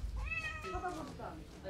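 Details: Domestic cat stuck on a house roof at a plant farm in Yongin after climbing up alone, crying; one drawn-out meow that rises and then slides down, with faint background noise.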